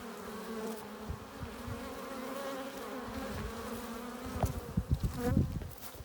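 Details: Hive-entrance drone of many honey bees arriving with pollen and nectar, a constant layered hum with a few louder close wingbeat bursts and soft low thumps toward the end.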